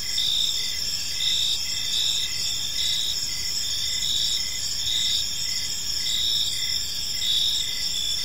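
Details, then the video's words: Crickets chirping in a peaceful park as evening unfolds; a dense, continuous high-pitched chorus with layered bands, some pulsing in short repeated bursts, steady throughout over a soft low background rumble. "Cricket Sounds in a Peaceful Park"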